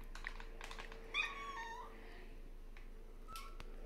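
A meerkat lets out a brief, nasal, whining call that bends slightly in pitch over under a second. Softer chirps and clicks come before and after it against a quiet indoor background.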